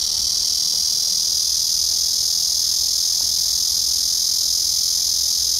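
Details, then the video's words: Black cicada singing on 31 August 2024: a loud, unbroken, hissing drone with a high, steady buzz that holds at the same strength throughout, with no other clear sounds. "말매미 울음소리"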